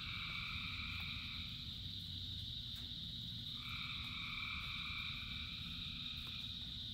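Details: Many frogs singing together in rain: a dense chorus of buzzy trilled calls in stacked high bands, swelling in bursts lasting a few seconds, over a steady low rumble of rainfall.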